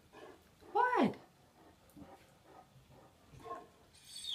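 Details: Max, a deaf Great Dane that loves to talk, complains to his owner about a wet floor while backing out of a doorway indoors: one loud, harmonic moaning whine that swoops up then slides down, followed by softer murmuring grumbles.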